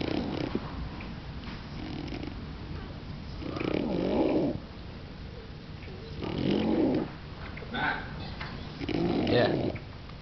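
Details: Nursing English Bulldog with her puppies, heard as three loud, rough, snorting breaths spaced a few seconds apart after a quieter start, with faint snuffles and light clicks in the gaps.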